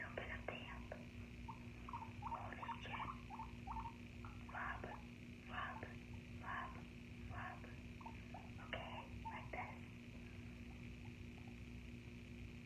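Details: Short squeaky guinea pig notes scattered among loud crunchy rustling bursts, like chewing or moving through bedding, over a constant low electrical hum.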